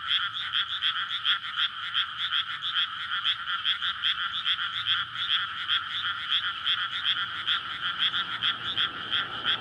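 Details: Dense chorus of courting frogs in a newly flooded rice paddy at night in May, beside a road through a residential area; fast, rattling croaks pulse continuously while a low engine-like rumble rises toward the end.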